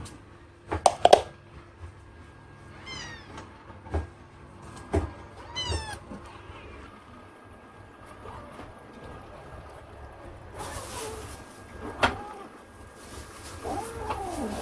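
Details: British Longhair kittens, a litter of six born on 23 April to the cat Prada, eating meat indoors; two short bursts of thin, high, downward-sliding mews stand out amid sharp clicks, smacking and faint household noise.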